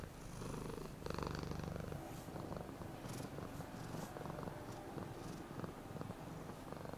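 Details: Happy domestic cat giving a smooth purr, deep vibrating rumble that swells strongly near the one-second mark then continues softer and uneven, with light scratchy rustles on top.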